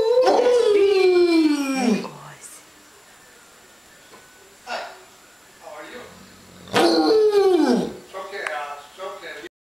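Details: Indoors on a stairway in November 2013, a pair of Otterhounds, a young male and his higher-voiced younger half-sister, sing in duet: two drawn-out howls falling steeply in pitch, separated by quieter yips and human voices.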